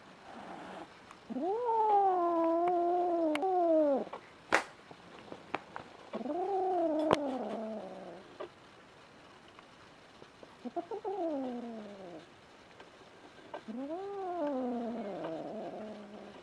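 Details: Newly adopted female kitten, born spring 2016, threatening the resident male cat indoors; four separate moaning yowls, each arching up and then falling, with sharp clicks and knocks in the pauses between them.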